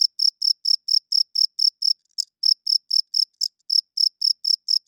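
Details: A cricket chirps at night in a fast, high, ringing pulse train, interrupted twice by brief uneven gaps and harsher bursts before the steady rhythm resumes; otherwise quiet.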